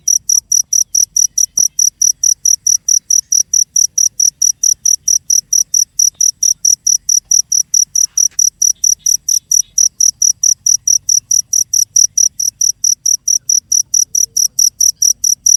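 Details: Cricket calling with a steady run of high, bright chirps, about two per second, each chirp a short buzzy trill. The rhythm is even and unbroken, with only faint low rumble beneath and no other animals.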